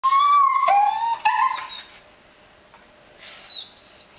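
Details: Dogs, a Border Collie puppy and a Cavalier King Charles, desperate to go for a walk, give long high whines that slide and waver, then a thinner, higher whine after a pause. A person asks whether they want a walk.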